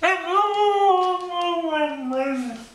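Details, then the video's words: Pet dog, a female, "talking" indoors in a drawn-out howling whine that seems to say "I want my Mommy"; one long tonal, slightly wavering cry that falls in pitch toward the end, with a woman's loving voice just before and after. "Dog Talking"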